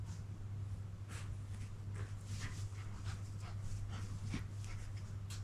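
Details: An unneutered eight-month-old male Toy Poodle named Alf pants softly while attempting his first mounting. Quick airy breaths repeat steadily over a constant low hum, with one slightly sharper snort-like puff toward the end.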